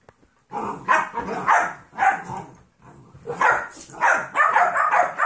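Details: Play between Trouble, a 14-week-old golden retriever mix puppy, and Monkey, a smaller 2.5-year-old jack russell/rat terrier mix. The recording holds dense, loud growling barks in two long rough runs, with a brief lull in the middle.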